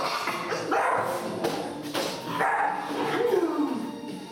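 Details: A two-month-old female Staffordshire Bull Terrier puppy gives high, yappy barks and whining yelps during barking training, with background music.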